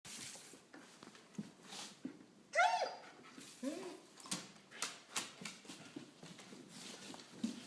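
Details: Finn, a dog in its first week, gives a single short, rising whimper with a bent, tonal yelp-like shape partway through, surrounded by scattered tapping, scratching and shuffling noises in a small indoor room.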